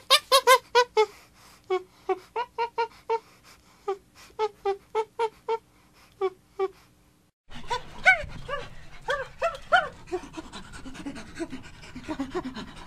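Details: Chimpanzee producing evenly spaced voiced pants, each a short harmonic huff about every third of a second. A noisier, denser section of overlapping pants and grunts follows.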